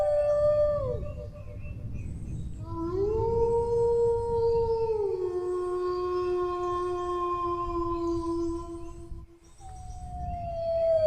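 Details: Dog howls: a falling howl fades out, then after a pause a new howl swells upward, holds a long steady note and steps down lower, ending with another high descending howl; soft low rumble beneath.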